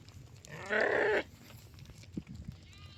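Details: A single sheep gives one loud, strained bleat lasting about half a second, rich in harmonics, followed by faint low thumps and quiet background noise.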